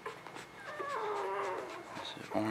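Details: One newborn puppy, spring 2017, gives a single drawn-out whine that slides downward and then holds steady, with faint background rustle and a short squeak at the close.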